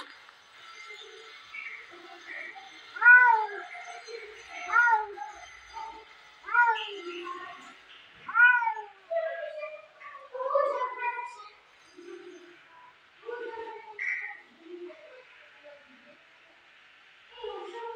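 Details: Two house cats fighting: a series of sharp wailing cries roughly every one and a half to two seconds, each sliding up then down, later breaking into shorter, softer scattered mews and moans, with a faint steady hum behind.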